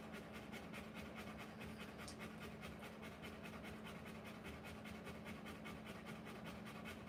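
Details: Panting of a Rottweiler during the live birth of her puppies: fast, rhythmic breaths at roughly two and a half per second, unbroken and steady, with a constant background hum.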